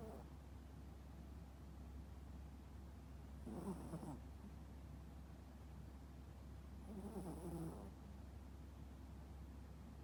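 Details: Deeply sleeping toy poodle snoring heavily, two drawn-out grating snores roughly three and a half seconds apart, each lasting close to a second, with a constant low background hum in a quiet room.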